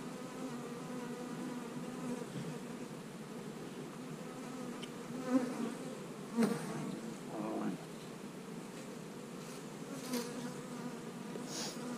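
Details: Honey bee colony humming during hive splitting, with queen cells in the splits; a continuous low buzzing drone, with a few soft knocks and a brief human voice in the middle.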